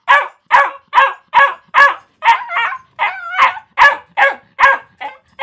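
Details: A dog barks steadily, roughly two barks a second, each bark full and harsh; midway come a couple of wavering, yelping barks before the regular rhythm resumes.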